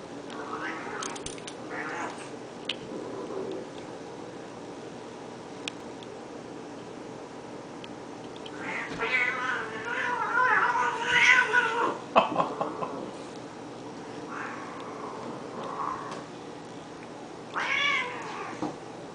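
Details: Two pet cats, Honey and Lowell, in one of their daily fights; harsh, wavering harmonic yowls swell and break in a loud burst midway, with a shorter rising wail near the end over a quiet background.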